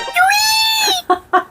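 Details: A domestic cat gives one long, drawn-out, even meow lasting nearly a second, followed by two short clipped sounds.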